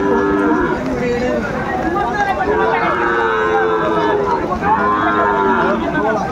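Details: Cattle at a Madaripur livestock market in Bangladesh during rain on 3 September 2024, where a Sahiwal bull is sold. Repeated mellow, tonal lows, each about a second long, with dealers' voices in the crowd behind.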